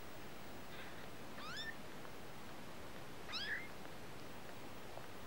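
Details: A kitten gives two thin, high meows that rise sharply and then bend down, about two seconds apart, over a steady low background hiss.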